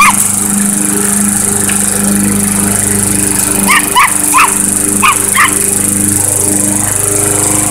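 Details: Chihuahua facing off against a lawnmower: after a few seconds of engine drone alone, about five sharp high yaps come in two short clusters, with the mower humming steadily underneath.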